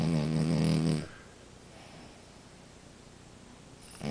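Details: French Bulldog Amora snoring: one deep, rasping snore opens the moment, followed by several seconds of quiet room hiss and the start of another breath at the end.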